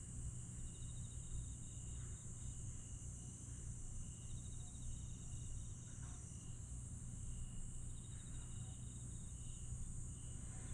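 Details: Jeju's Aewol at night, 22 July 2022: grass insects keep a steady high hum while rapid trill bursts repeat every few seconds, over a deep constant rumble.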